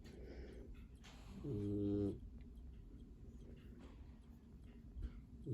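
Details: Borzoi puppy Tjajkovskij, seven weeks old, asleep with his littermates; one short, low, buzzing snore under a second long rises out of quiet indoor background with slight shuffling.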